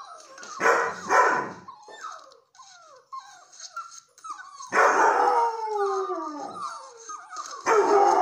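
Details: Young red and white Setter bitch howling at her breeder's latest litter of red-coated puppies: loud, raw bursts of howling, then a falling drawn-out wail with layered overtones, broken by thin high squeaks and whimpers.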